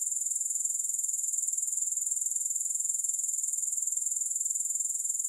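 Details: Unbroken shrill grasshopper trill, high-pitched and finely pulsed at a steady rhythm, holding the same level from start to finish, with no music or other noises.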